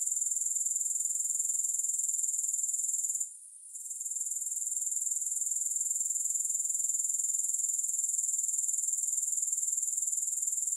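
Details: Grasshoppers keep up a constant, very high-pitched, pulsating buzz at about four pulses a second, with no music. A short quiet gap comes after three seconds, then the even throbbing resumes to the end.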